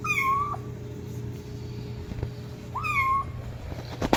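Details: Kitten crying loudly for its mother with two clear, high meows, each rising then falling and holding briefly, separated by about two seconds of quiet hum.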